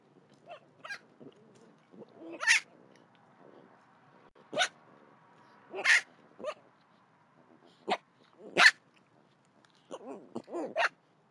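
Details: Baby javelinas, recorded by a neighbor and shared on 13 August 2022, sounding unhappy; a series of short, harsh squealing bursts with harmonic whines, spaced irregularly every second or two across the clip, with quieter grunting between.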